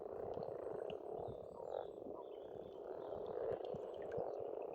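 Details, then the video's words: Spring frog chorus from an Estonian pond: continuous rasping croaks blending into a steady drone, with faint high bird notes and chirps in the background. "Расслабляющее пение птиц и лягушек, весна, природа."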